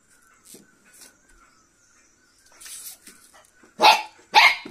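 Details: Cocker Spaniel puppy fighting with a beetle: after soft scuffling and sniffing, two sharp, loud, yappy barks burst out close together near the end, over a faint steady background tone.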